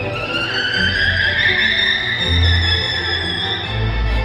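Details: A captive killer whale in a 40-foot-deep pool, asked by trainers to demonstrate a vocalization, gives a drawn-out, violin-like squeal that holds steady and rises slightly over a low background rumble.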